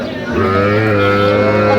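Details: Cattle at a market in Kushtia, Bangladesh, on 8 October, where farmers buy small Sahiwal bulls and heifer calves. A steady low, sustained moo with rich harmonics holds for over a second, with traders bargaining nearby.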